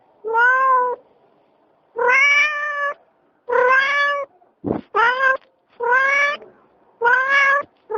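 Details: Domestic cat giving a series of about seven loud, drawn-out meows, each clear and harmonic, steady in pitch, spaced roughly one second apart, in a quiet setting.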